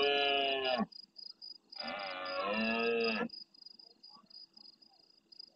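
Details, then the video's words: Red deer stag, a large male, bellowing at nightfall in the El Rocío marsh, Doñana, Spain, answering other stags: a short roar then a longer, rough, deep one, followed by faint calls and constant pulsed insect chirping. "Berrea nocturna en primer plano"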